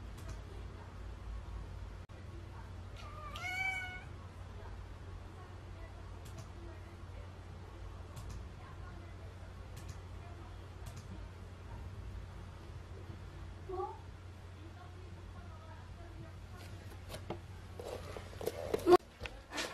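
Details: Mong, a neutered male Munchkin Napoleon cat, seeks out its owner indoors to beg for treats. One clear rising-falling meow comes early, then a faint short one much later. A steady low hum, a quiet room and scattered clicks fill the rest.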